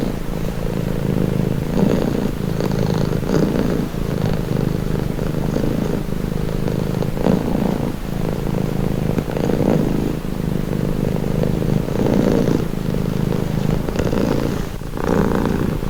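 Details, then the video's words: Long stretch of a cat's steady, vibrating purr, low and droning, rising and easing with each breath about every one to two seconds, a faint click near fifteen seconds. "Purring cat"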